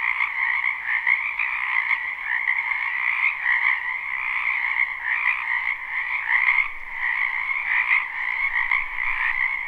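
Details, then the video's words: Many frogs croaking in a spring wetland behind a house, recorded live without looping: a dense, unbroken chorus of trilling croaks in two steady pitch bands, a middle and a higher one, pulsing with small swells in loudness. "Ambient Noise for Sleep Frogs Black Screen"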